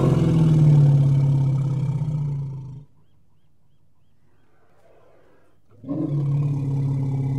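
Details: Elephant giving a deep, steady low rumble with rich harmonics, loud for nearly three seconds, then a silent gap before the rumble resumes at similar strength.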